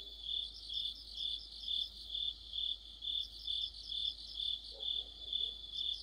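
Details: Crickets singing in an autumn insect chorus beside a street lamp, steady high-pitched ringing with evenly spaced chirp pulses about twice a second and a faint low sound near the end.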